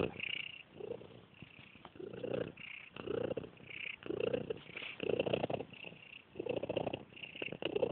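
A monkey gives a low, throaty purr, a rough rumble that pulses with each breath. The bursts come steadily, about one per second, over a faint background hiss.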